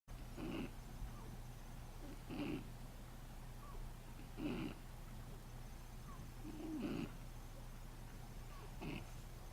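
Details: Shih Tzu puppy snoring while asleep: rhythmic, breathy rasping snores, each a short noisy burst with a higher hiss, repeating roughly every two seconds, five in all, over a steady low background hum.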